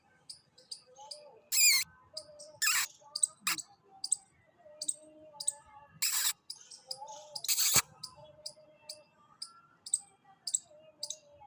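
A chipmunk gives sharp, high chips repeated about twice a second in a steady rhythm.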